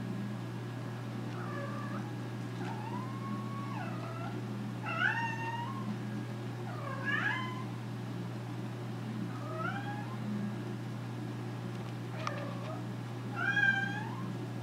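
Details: Bored American Curl named Nora demanding action with a string of about seven loud meows, some bending upward then falling, spaced roughly every one to two seconds, over a constant low hum.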